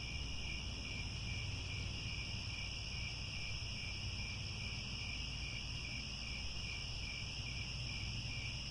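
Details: At Angkor Wat, Cambodia, crickets in grassland chirp together at sunset, forming a dense, steady high drone without pauses, backed by low-frequency rumble.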